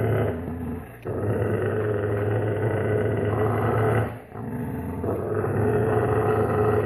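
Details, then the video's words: Alaskan Malamute puppies growling in a low, rumbling, nearly continuous stream with two brief pauses. "Ringhio cuccioli di alaskan malamute"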